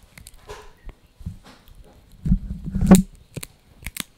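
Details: Crunchy eating by Blue, a young male Yorkie, working on a dried bunny ear: scattered clicks, then a loud, dense burst of grinding crunches in the second half before a few final snaps.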